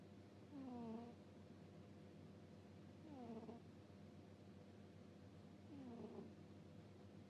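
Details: Dozing cat gives a squeaky 'puu-puu' snore: three short, high, downward-gliding whistly breaths about every two and a half seconds, quiet and close, over a low steady drone.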